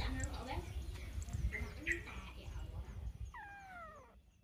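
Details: Human speech and scattered voices fill most of the recording. A domestic cat then gives one clear, drawn-out meow that starts high and slides steadily downward near the end.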